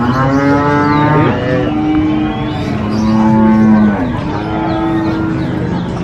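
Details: Large cattle for the qurban sacrifice at a market in Indonesia, several overlapping deep, drawn-out moos, each lasting about a second, with rising and falling tones over steady market background noise.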